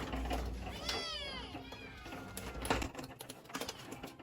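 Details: Kitten crying for its mother, one drawn-out meow that rises and then slides downward, followed by scattered soft clicks and rustling.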